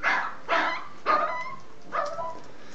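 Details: Three-week-old Z-Litter puppies feeding on milk, letting out four sharp yelping cries about half a second apart, each bursting loudly then trailing into a thin whine.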